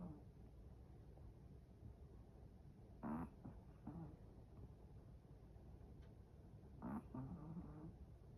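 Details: Sleeping Chihuahua snoring: two short, low, nasal snores about four seconds apart, each a brief tonal rasp with a slight wobble, over a steady quiet room hiss.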